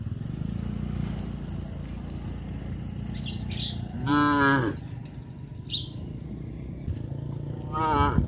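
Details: Traditional village farm cows wandering near homes in rice planting season. A strong, level moo sounds midway, and a second, falling moo begins near the end, over low rumbling noise and a few faint chirps.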